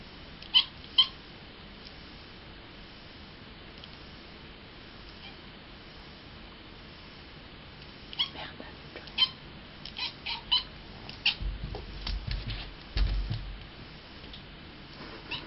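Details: Cat Miaow, a kitten, meows like a bird on spotting a fly: a few sharp chirps early on, a long quiet stretch, then a busy run of short high chirping calls between eight and thirteen seconds, with soft low thumps.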